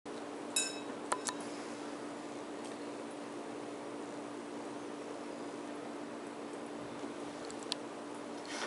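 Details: A quiet indoor room with a steady low hum, a few sharp glassy clinks near the start, and another clink near the end.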